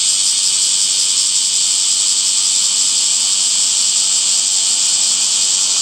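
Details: Summer cicada chorus among green trees, heard as a continuous shrill, even drone of high buzzing that never breaks or changes pace, with nothing else standing out.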